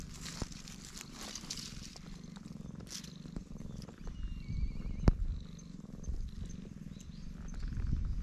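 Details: Stray black cat purring loudly with pleasure while being stroked, filmed on a GoPro: a steady low rumbling purr throughout, with faint rustling and a sharp tap near the middle.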